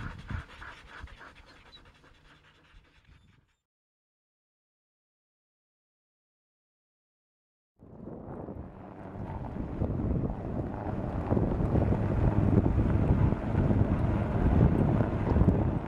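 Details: Samoyed sled dogs panting to cool down during a rest break on a 14-mile carting run in Minnesota on an unexpectedly warm 44F day. Fast breathy huffs about three per second, then a silent gap, then louder, denser panting.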